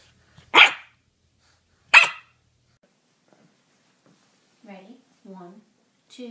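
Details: Puppy barking twice, sharp and loud, about a second and a half apart, followed by soft voiced human sounds.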